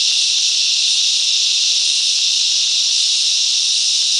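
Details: Mangrove bushland cicadas at Coffs Harbour, NSW, Australia, in a group song: a constant, loud, high-pitched buzzing hiss of unchanging pattern throughout, with no other sounds.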